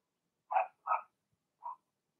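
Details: Indoor pen holding a litter of Blenheim Cavalier King Charles Spaniel puppies: a pair of high, sharp barks in quick succession, then one shorter, quieter bark half a second later.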